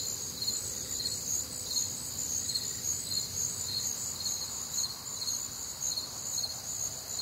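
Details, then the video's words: On a humid, warm Midwestern summer night, crickets keep up a shrill, continuous trill with evenly spaced chirp pulses close to two each second, over light low-pitched background noise. "Night Time Cricket Sounds"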